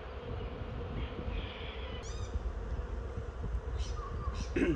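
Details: Swarm of honey bees entering a new hive: steady low humming drone of many bees, overlaid by clear bird chirps and whistles and a brief nearby voice at the end.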